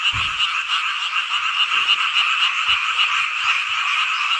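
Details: Frogs in a midsummer night chorus at Hongcheon, Gangwon Province, South Korea: dense, continuous overlapping croaking with rapid pulsed notes, a steady wall of sound with a few faint low thumps.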